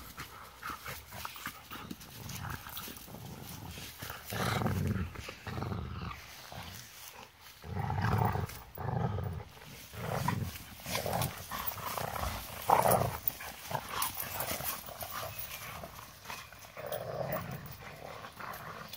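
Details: Golden retrievers wrestling at play outdoors, the older one having just come out: rough, low growling grumbles rising and falling in bursts every second or two, over a noisy outdoor background.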